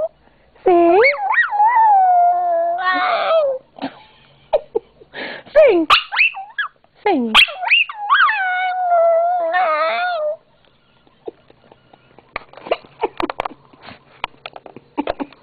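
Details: Lola, a pet Yorkie-papillon mix, sings on her owner's request; long wavering howls rising and falling in pitch with yips and whines, two long bursts then short yelps, followed by clapping and a person's voice encouraging her.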